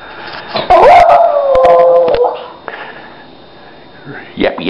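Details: A house dog, female, howls at her owner because she wants to go out to the bathroom: a single drawn-out, slightly falling wail lasting nearly two seconds, framed by a woman talking to her before and after.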